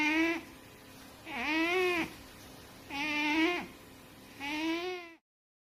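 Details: Fat pet cat asleep and snoring: four even, buzzy-tonal breaths with layered overtones, each swelling and fading, recurring roughly every one and a half seconds before the recording cuts to silence.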